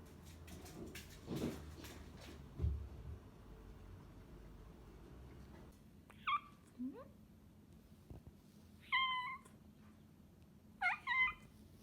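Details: Rescued former stray cat meowing indoors: after several seconds of muffled handling noise and low sounds, three short, bright harmonic meows follow, with a small rising squeak between them.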